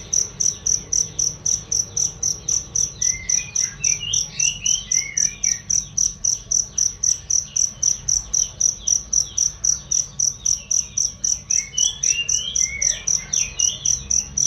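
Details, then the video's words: Cricket, played as song practice for cage birds, gives a clear, shrill chirp in an even rhythm of about four pulses per second throughout, with occasional soft swooping bird calls underneath. "masteran jangkrik untuk burung"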